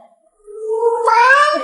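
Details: Asked to repeat its 'proper language', the pet cat Yuanbao gives a rising, drawn-out meow that starts soft, grows loud and bright, and climbs steadily before breaking off.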